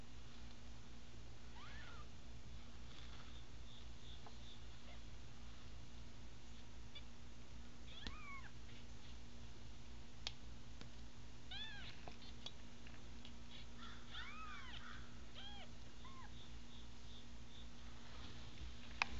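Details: A litter of five American Bobtail kittens, two males and three females, eyes just opening: repeated high, arching meows come in short bursts, several in quick succession near the end, over a constant low hum indoors.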